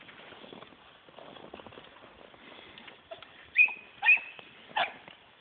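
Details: A female dachshund having winter fun gives three short, high-pitched yipping barks after a stretch of soft crunching.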